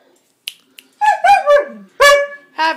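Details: Male Siberian Husky at home, talking on command: two short, yodelling moan-like vocal bursts that bend downward in pitch, followed by a sharp clipped yelp, with a person urging him to speak.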